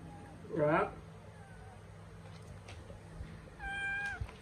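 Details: Kittens having fun hiding and playing peekaboo: one loud, wavering meow with strong harmonics lasting about half a second, later a thinner, falling meow near the end, over low steady hum and faint human voices.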